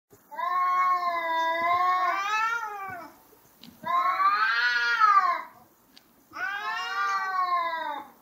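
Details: Two cats fighting, said to look like two lions: three long, drawn-out harmonic yowls, each wavering and bending in pitch, lasting two to three seconds with short silent gaps between.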